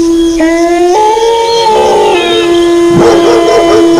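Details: Chorus of wolf howls with dog barks: a steady low howl holds while a higher voice jumps upward in abrupt steps then falls, followed by a burst of barking near the end.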